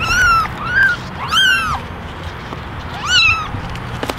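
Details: Kittens in a basket, ten ginger and one all white, meow for attention; several high, arching, harmonic mews, one long drawn-out call in the middle, then a final rising-falling mew over low hum.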